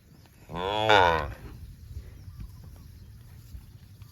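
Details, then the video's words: Cow roaming in the fields lets out one long, nasal moo of under a second, swelling then fading, then quiet outdoor background noise. "Cows mooing"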